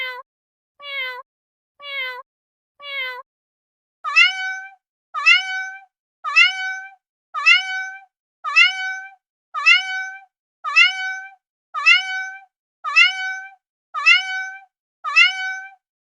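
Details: Three short, falling mews from a cat give way to a regular series of brighter, higher meows. These begin with a quick upward flick and come about once a second. No other sounds.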